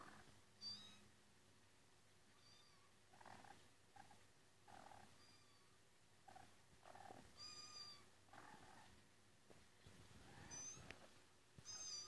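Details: Played-back cat meows as two house cats hunt for the meowing cat: repeated short high meows every one to two seconds, with soft thumps, rustles and low room hum between them.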